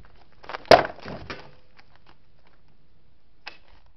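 Bighorn sheep clashing horns in a fight, heard as a sharp, loud crack followed by clattering.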